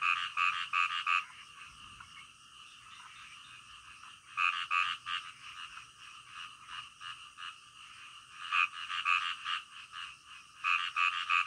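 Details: Frogs croaking at night, one close frog repeating bursts of three or four sharp, bright croaks every few seconds above a constant, dense chorus of distant frogs.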